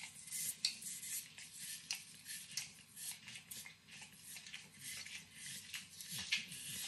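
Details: Max, a nine-year-old Pit Bull, licks and nibbles overcooked bacon in a kitchen: rapid wet smacking clicks and slurps in close succession, with a quiet low room hum underneath.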